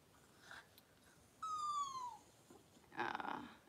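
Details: During Daisy the Cavalier King Charles Spaniel's indoor delivery of six puppies within two hours, one thin, drawn-out whine slides gently downward for under a second, followed by a brief rustling scuffle.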